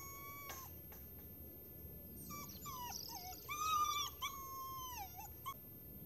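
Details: An Alaskan malamute puppy plays with a kitten, letting out a quiet series of high, thin whining and yelping calls that bend up and down in pitch, clustered in the middle of a short, otherwise near-silent stretch.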